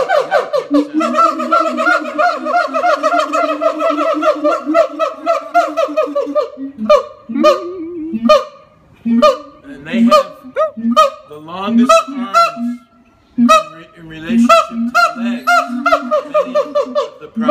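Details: Captive siamangs, largest and loudest of the gibbon family, calling at the Los Angeles Zoo: a long run of quick rising hoots for six seconds, then scattered loud barks and shrieking whoops.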